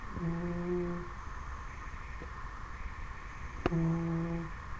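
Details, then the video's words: Ten-week-old Dobermann puppy asleep indoors, snoring: two steady, humming, nasal tones with a low buzzy pitch, each about a second long, the first at the start and the second near the end, separated by quiet breathing and room hiss. "Dobermann Snoring"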